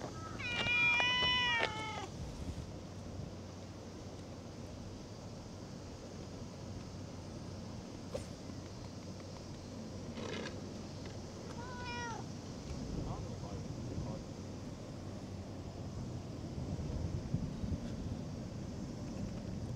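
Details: Cat, filmed in August 2024, gives a loud run of harmonic-rich meows in the first two seconds, then two fainter, shorter meows around ten and twelve seconds over a low outdoor rumble.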